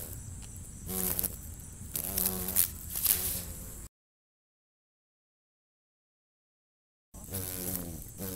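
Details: Eastern cicada killer flushed during landscaping, its wings giving short bursts of low droning buzz that waver in pitch, broken by a complete silence of about three seconds before the buzzing returns.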